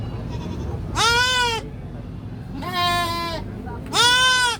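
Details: Young goat giving three harsh, drawn-out bleating screams, each lasting over half a second, with short pauses between them. A constant low hum sits underneath.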